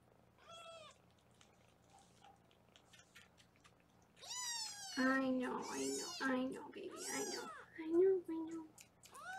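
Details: Kittens in foster care in Los Angeles, meowing while being weighed: one short meow early, then a burst of loud, insistent, overlapping meows mixed with a woman talking, all over a low room hum.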